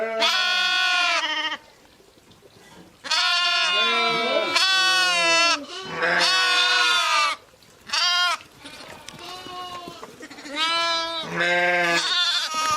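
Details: Sheep and lambs calling back and forth almost continuously, overlapping bleats of different pitches, some wavering, with only short breaks between them.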